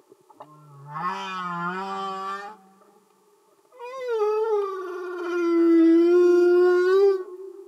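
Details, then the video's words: Humpback whale song recorded underwater: a low moaning unit near 150–200 rising slightly, then after a pause a long harmonically rich wail that starts with a bend and holds a steady tone for about three seconds. "Amazing singing Humpback Whales"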